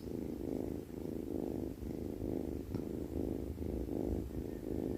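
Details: Sleeping cat snores in a deep, rough, buzzing drone that pulses with its breathing, around twice per second, in a quiet indoor setting.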